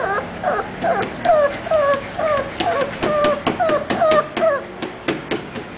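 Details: Orzo, an English Bulldog puppy, gives a steady run of short falling whines, roughly two per second, each a clear tonal slide. Sharp clicks and a hissy noise floor run underneath.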